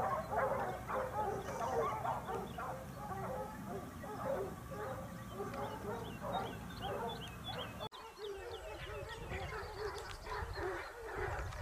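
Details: Topsfield Lebrera Basset Hounds hunting as a pack in Spain, 2015-16, their second hunting season: a long, dense chorus of many hounds baying and yelping at once, with a brief break near eight seconds, then the cry resumes.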